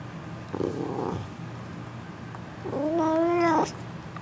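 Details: Indoor female F2 Asian Leopard Cat hybrid on top of a refrigerator gives one clear, tonal meow, slightly rising then falling, after a brief rougher sound, while a person speaks to her nearby.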